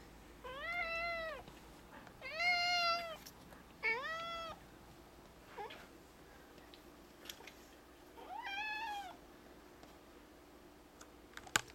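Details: Indoor male cat, four years old, chattering about a lizard: four drawn-out meows in the first nine seconds, three close together then one after a pause, with quiet clicks and knocks around them.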